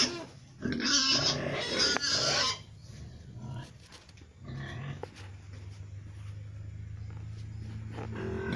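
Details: Three-breed crossbred gilt (Pietrain x Landrace x Large White), a future breeding sow, gives a loud harsh squeal lasting about two seconds near the start, then softer grunts and rustling with a steady low hum behind.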